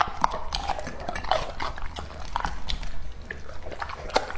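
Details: Lucky, a two-and-a-half-year-old male English Labrador Retriever, eating raw meat in an ASMR-style feeding session: a steady stream of wet, crunchy chewing clicks and smacks with brief sharper crunches, low thumps beneath, and no voices or music.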